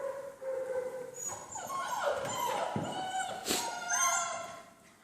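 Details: Six-week-old Von Forell German Shepherd puppies line bred on Grim, first time on a slippery floor: several whining whimpers layered together, rising and falling in pitch, with a brief sharp knock midway.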